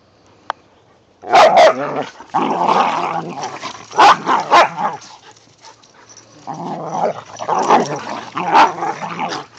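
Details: Mikey, Kieran, Wiley and Zoe, whippets and a rat terrier, play in the first light snowfall of the season. Loud, rough growls come in long stretches, with sharp bark accents, after a single faint click at the start.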